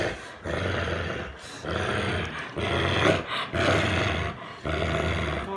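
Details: American Bulldog Boomer guarding his stuffed monkey, giving deep rumbling growls in several bursts separated by brief gaps, with a faint voice nearby.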